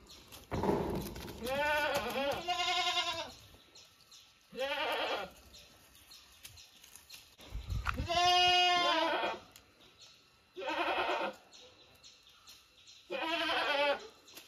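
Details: Domestic goats kept by their owners, bleating in a series of loud, wavering calls, some long and quavering, others short, with about six separated by quiet gaps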